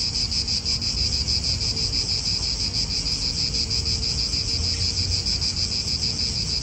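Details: A cicada chorus fills an Italian park with a high, unbroken metallic buzz that throbs roughly three times a second, while soft wind and faint car noise murmur low in the background.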